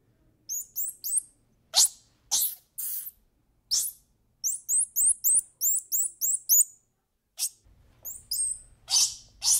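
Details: Squirrel monkey giving bursts of very high, sharp chirps and squeaks, some rising in quick pairs, in uneven runs broken by short pauses; a faint low hum enters near the end.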